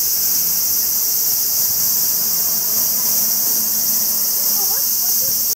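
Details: Summer cicadas in the trees of Kyoto, Japan, make a steady, shrill, sizzling drone, with faint human voices murmuring underneath.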